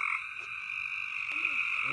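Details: Loud frogs calling together in a dense, continuous chorus, a steady high droning trill holding throughout with a fainter band beneath it, no pauses between callers.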